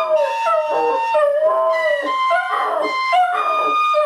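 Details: Border Terrier singing with Silent Night, a continuous wavering howl that repeatedly dips and swells in pitch, mournful and strongly harmonic, while steady sustained notes of the carol's music run alongside.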